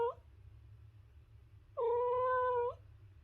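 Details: Domestic cat from a compilation of cute and funny cat sounds gives one steady, drawn-out meow of about a second, preceded by a clipped fragment of another, over a low constant hum.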